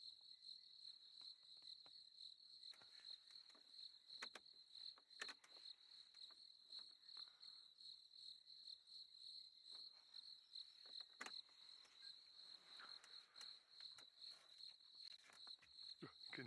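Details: Crickets keep up a steady, high, ringing trill at sunset on safari, with scattered clicks and knocks, while lions roar and a hyena and leopard were heard far off.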